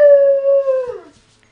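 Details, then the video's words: German Shepherd howling in reaction to a monthly siren test: one long, steady, clear tone with stacked harmonics, held about a second then sliding downward and fading, indoors. "Siren Howl"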